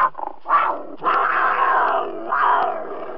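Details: Cougar growling: a few short rough notes, then a long sustained raspy growl followed by another drawn-out snarl, harsh and mid-pitched throughout.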